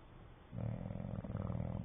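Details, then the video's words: English Bulldog snoring in its sleep, its lips flapping; a deep, fluttering, rattly snore starts after half a second and carries on, with a brief dip partway through. "English bulldog snoring and flapping"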